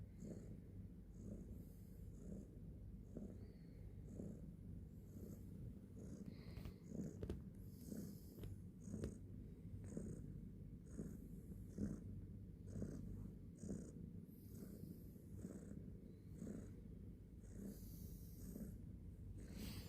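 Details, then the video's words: Domestic cat purring, the sound called mendengkur, in the morning; a quiet, low, continuous rumble pulsing in steady breaths throughout, with faint regular high ticks above it. "Kucing Mendengkur artinya apa?"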